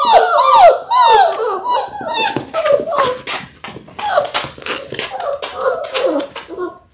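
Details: Six-week-old Labrador Retriever puppies, a litter of six born January 18, 2022, on an indoor live puppy cam on February 28: sharp, sliding high whines and yelps open, then quicker overlapping squeaks and yips follow in uneven bursts.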